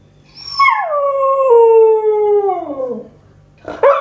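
A Siberian Husky puppy gives a long, high howl that slides steadily downward in pitch.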